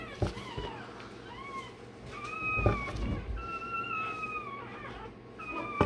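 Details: Newborn Rottweiler, a day old, cries while its tail and dewclaws are done: sustained level whining wails repeated several times, broken by sharp clicks and knocks from handling.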